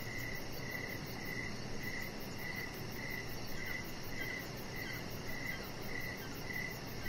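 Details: Crickets heard in the evening outside by a deck, with a chihuahua puppy named Rocket resting there; short chirps recur regularly about every half second over continuous low hum.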